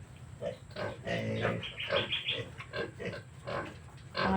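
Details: Native pig piglets about 30 days old, being weaned from a sow that no longer wants to nurse them. Short squealing grunts come in quick bursts, several per second, rising and falling in loudness, with clucking and barnyard noise behind.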